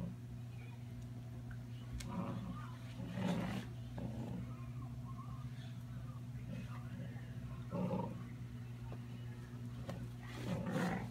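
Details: Basset hounds Bella, a two-month-old puppy, and Lilly, aged one and a half, at play, giving gruff, rasping growls in separate bursts several seconds apart. A constant low droning hum runs underneath.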